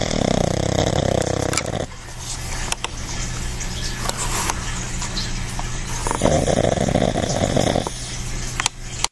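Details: Quincy, a pet dog and habitual heavy snorer, relaxed and napping; two long, buzzy, rasping snores about four seconds apart, with a steady low hum and quieter breathing between them.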